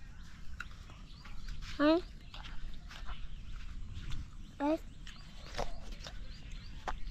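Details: Billy goat giving two short, rising bleats about three seconds apart against a low, rumbling background with faint voices and clatter.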